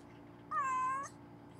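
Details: Harlequin, a rescued pregnant cat, giving birth to six kittens indoors gives a single drawn-out meow lasting about half a second. The meow is steady and slightly falling, set against a quiet room.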